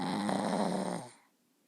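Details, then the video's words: A puppy asleep lets out one low, rumbling, slightly growly snore of about a second, which then fades into near silence. "Snoring puppy!!!"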